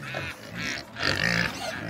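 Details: Farm pigs greet the keeper on a winter morning at breakfast time, giving a run of harsh, nasal grunts and short squeals in two bursts, with a person's voice faintly mixed in.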